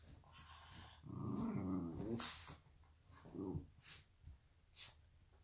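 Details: Black and tan Shiba Inu play fighting with a Chihuahua mix indoors on a donut bed: low rumbling growls swell for about two seconds, then shorter growls and yips follow in bursts.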